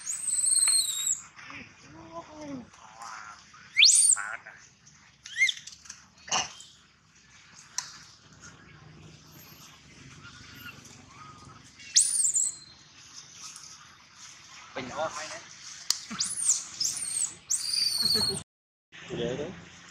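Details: Prolonged loud crying of a baby monkey: scattered shrill squeals and sweeping high wails mixed with lower moaning whines and clicks, some cries overlapping, with short silences between bursts.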